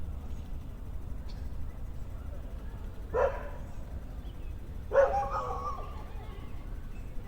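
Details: Dogs playing in the off-leash area of Trinity Bellwood's Park, an urban downtown park in Toronto, in spring; two short, sharp barks land about two seconds apart over a steady low city rumble.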